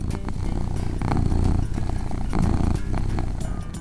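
A domestic cat purrs in a low, steady, rumbling vibration, with soft music behind it.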